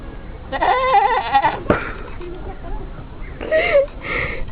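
A goat gives a wavering, nasal bleat, then two shorter bleats a few seconds later.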